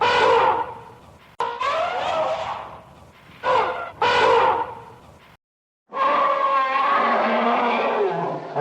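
An elephant trumpets in loud, brassy blasts: several short wavering blares, a brief silence, then one longer sustained trumpet.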